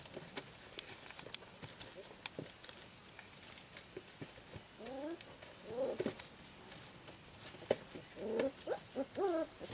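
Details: Four-week-old American red Golden Retriever puppies on their first outing outside the nursery give short, wavering high whines and squeaks amid light tapping and rustling.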